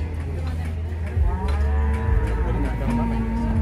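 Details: Very large cattle lowing while being loaded onto a truck after being bought at market, in Indonesia; a drawn-out, low, harmonic moo rises in the middle over a heavy, steady engine rumble, with faint voices nearby.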